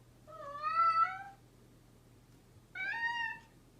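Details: Two clear, drawn-out meows from a mischievous pet cat, the first longer and steady, the second slightly higher and rising, separated by over a second of quiet with a faint hum.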